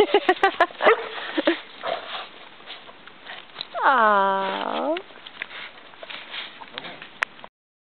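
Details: Dog in a humorous attack scene: a burst of sharp, closely spaced barks opens, then a single drawn-out, wavering, whine-like cry in the middle, followed by scattered short yaps. Human voices can be heard throughout.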